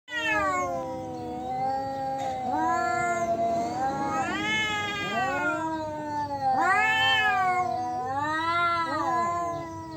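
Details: Male domestic cats in Indonesia facing off over territory, trading long wavering yowls that rise and fall in pitch, two voices overlapping with drawn-out howls and no other clear sounds.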